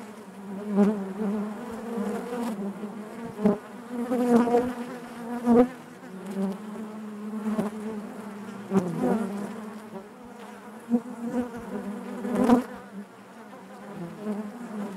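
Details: Natural buzzing of honey bees inside the hive: loud, droning low hum with rich harmonics, frequent brief surges and sharp clicks as bees fly close, never falling silent.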